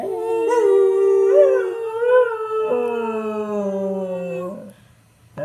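A beagle gives a long, wavering howl that slides down into a lower, drawn-out tone.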